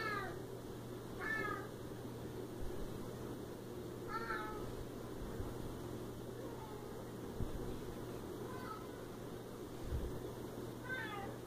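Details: Siamese cat meowing again and again, five or six short downward-sliding meows spread over eleven seconds, with a person calling to it, a few light knocks and a constant low hum.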